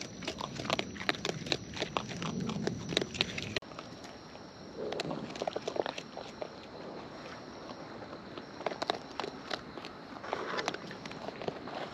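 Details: Raccoons in the wild, filmed close while feeding: rapid crunching and snapping bites, a brief pause near the middle, then softer, scattered chewing noises resume.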